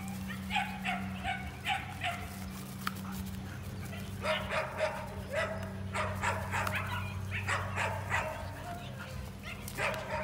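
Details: Belgian Malinois sisters in Magnolia, Texas, high-drive dogs; rapid, excited barking in clustered bursts, some yips, with a person talking and a constant low hum behind.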